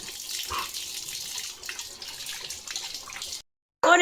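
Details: Running tap water with faint speech, a short silence, then a loud electronic burst at the end.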